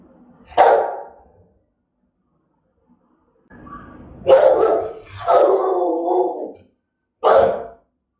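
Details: Rottweiler giving threatening, aggressive barks: a sharp single bark, a pause, then two loud harsh barks with the second drawn into a throaty, growling bark, and one final sharp bark.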